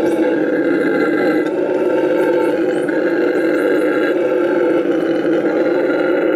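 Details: Tango, a rescued Bolivian red howler monkey at La Senda Verde rescue center in Bolivia, roars in a steady, loud, deep howl that runs unbroken for six seconds with rich layered tones. Faint high chirps sound above it.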